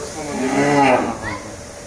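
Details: Hallikar cow from a herd of cows and calves kept on a farm in Begur near Hulimavu, Bengaluru, giving one drawn-out, slightly wavering moo lasting under a second, followed by faint background farm noise.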